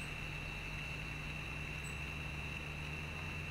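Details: Gray tree frogs calling from trees beside the French Broad River after rain, heard during a river float: a steady, high, continuous trilling band runs through the whole stretch over a low rumbling background.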